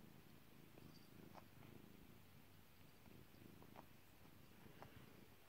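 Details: Domestic cat Kairi purrs under petting, a deep even rumble rising and falling with each breath, with soft scattered clicks and rustles from handling.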